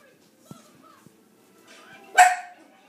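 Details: A four-month-old Chihuahua/Rat Terrier puppy in a cage, being coaxed to climb out, lets out a single sharp, high bark near the end after quiet rustling and soft taps, while a person speaks encouragingly.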